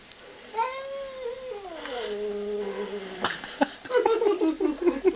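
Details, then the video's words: An indoor pet cat calls back at a talking-cats clip playing on a TV. It gives one long, drawn-out meow that slides slowly downward, followed by short clicks and rapid, choppy vocal sounds. "cat response to 'talking cats video'"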